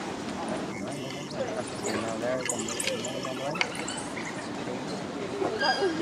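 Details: Six male African wild dogs (Lycaon pictus, painted wolves) in a pack at London Zoo trade high, birdlike twitters and squeaky chirps during a dominance display.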